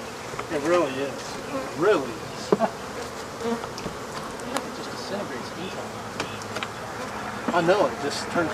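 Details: Swarm of African honey bees droning while their hive is cleared out, the hum wavering and surging in brief louder swells, with scattered taps over the continuous buzz.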